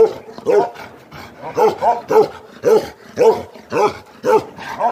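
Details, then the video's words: Bakarwal sheep guardian dogs giving aggressive barks: a steady run of loud, deep, hoarse barks roughly every half second, harmonic arched shapes, with brief noisy gaps and faint background murmur between them. "Aggressive bakerwali dogs"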